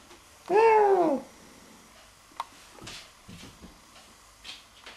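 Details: A domestic cat, one of two cats hunting a bee indoors, gives one loud drawn-out meow that rises then falls over about half a second, followed by faint knocks and rustles.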